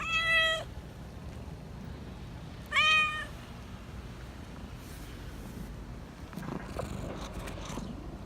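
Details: Black Persian cat living in a park, meowing in a sweet, affectionate voice: two short harmonic meows near the start, about two seconds apart, then faint rustling and low background hum.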